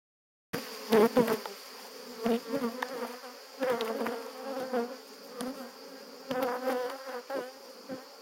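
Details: Honey bees buzzing during a honey harvest at a family estate in Jouques, Provence, southern France, on 17 July 2017, flying out to defend their disturbed hive; a loud, wavering droning hum swells and fades, broken by sharp knocks and clatter.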